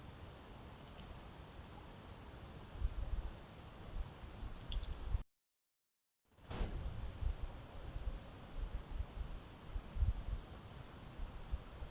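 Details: Steady hiss with low rumble and a few faint clicks, broken by a second of dead silence midway, with no animal voice heard.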